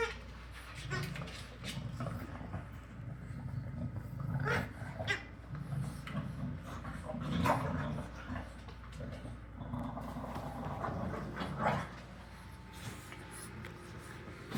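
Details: Several English bulldog puppies coming out to play, giving low rumbling growls and grumbles through most of the stretch, with a few thin whimpers, scuffling and clicks of movement, and a faint human voice at times.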